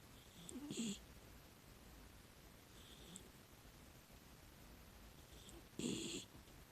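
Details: A sleeping six-year-old female rescue miniature dachshund gives two soft, raspy snoring breaths about five seconds apart.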